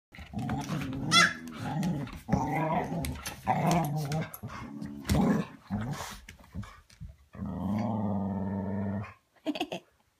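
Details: Dog growling in a small room, with a run of low, rumbling, harmonic growls, a short pause, then a steadier two-second growl and a brief final grumble.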